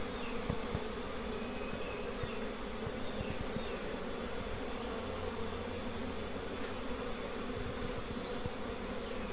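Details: At a cluster of honey bee nests with many colonies, a dense, steady buzzing drone fills the air, low and unbroken, with small flickers of louder hum.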